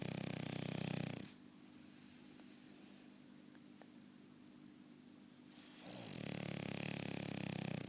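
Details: French Bulldog snoring, with loud, rough, rattling breaths at the start and again from about six seconds on, separated by a quiet pause of roughly four seconds with faint room hiss.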